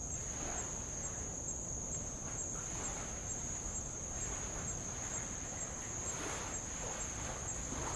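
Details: Insect chorus on Avalau, Kingdom of Tonga, by old lava at the water's edge: a constant piercing high whine runs the whole time, with faint extra chirps above it and light waves lapping softly beneath.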